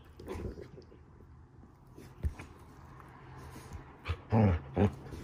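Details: Standard Poodle pup and a Havanese-mix dog mouthing off during morning play indoors: low rumbling growls, then a few short loud harsh bursts near the end.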